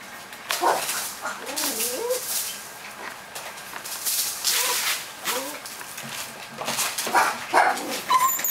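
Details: A 43-day-old male beige-and-white Pomeranian puppy, born 13 July 2015 in Okayama, Japan, gives soft, wavering whimpers and little yips in short irregular bursts.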